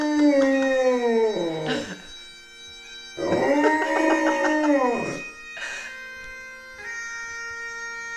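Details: Rudy the dog howling to Amazing Grace on bagpipes: a descending howl, then a second long arched howl of about two seconds, followed by quieter yips, all over a continuous bagpipe drone and melody.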